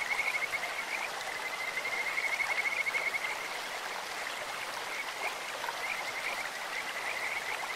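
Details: Kajika frogs calling in a clear stream, their voice likened to a bird's or insect's: a high whistled trill of rapid pulses swelling for about three seconds, then softer trills over steady rushing water.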